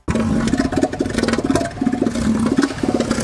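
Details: A male northern elephant seal gives a deep, throbbing call of rapid low pulses like a sputtering engine, in bursts of about a second, a vocalization dominant males use to show beta males they control the females.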